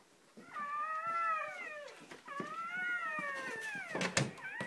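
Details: Just after Shoobie the mother dog gives birth to her first three puppies, two long arching whines rise and then sink, each held about a second and a half, ending in sharp rustling knocks.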